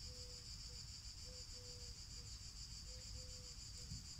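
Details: Cicadas singing to a listening black cat: an even, metallic high whine runs steadily through, while short low tonal dashes repeat underneath against a faint rumble of background noise.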